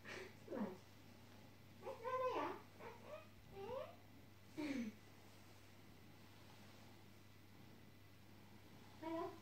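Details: A sleepy pet cat indoors gives short meows that slide downward, repeated several times in bursts, with quiet room hum between calls.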